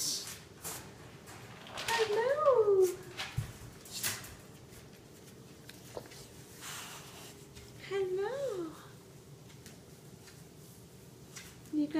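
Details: Nino, a black Staffordshire bull terrier puppy aged roughly seven to eight months, 'talks' in the morning: two drawn-out, bending whines several seconds apart, with soft human speech and faint music in a small room.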